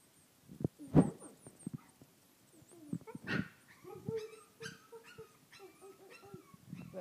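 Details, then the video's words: Playful French Bulldog puppies: squeaky whimpers, yips and brief harmonic whines scattered over several seconds, with a few low grunts and scuffling, while a person speaks Swedish softly in the background. "Buslek fransk bulldogg valpar"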